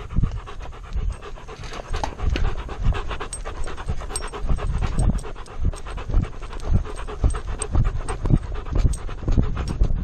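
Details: Chest-mounted camera on an Alaskan Malamute catches steady rhythmic panting, roughly two breathy huffs per second, loud and close, with soft thuds of movement underneath.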